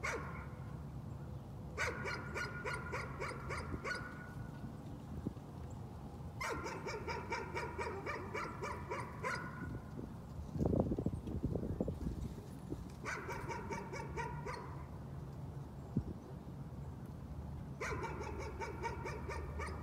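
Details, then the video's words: Dog in a bout of nuisance barking: quick bursts of sharp, ringing barks, about four per second, each run lasting two to three seconds with quiet gaps between, plus a low thump near the middle. "Nuisance barking again."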